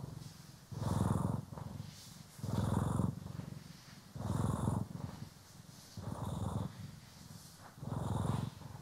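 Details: Poki or Kiwi, a pet cat, purring contentedly under grooming and brushing, recorded in stereo; low vibrating purr rising in five loud swells about every one and a half to two seconds, light brush strokes.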